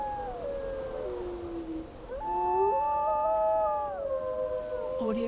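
Several wolves howl together, long drawn-out tones sliding up and down over a low rush of wind.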